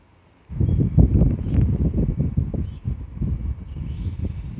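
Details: Twitching nose of a black Shiba Inu, sniffing in a steady stream of rapid, soft, low-pitched huffs, about two or three per second, starting abruptly after a short silence and continuing throughout.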